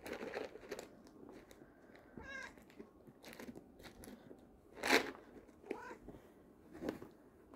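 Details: Buddy, a black domestic cat, trills softly in the afternoon at treat time while treats are fetched from a container. Two short, warbling chirps rise and fall a few seconds apart, set among crinkling and tapping of the container indoors.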